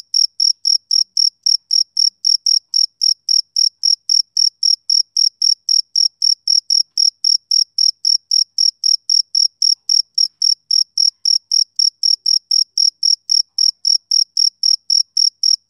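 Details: A male cricket keeps up a perfectly even, continuous train of sharp high chirps, close to four per second throughout, with nothing else audible.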